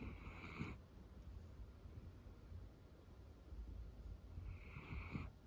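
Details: A female Miniature Dachshund named Roro, cream coat, dozing affectionately on her owner's lap; two raspy snores near the start and end, roughly four seconds apart, over low steady breathing in a hushed indoor setting.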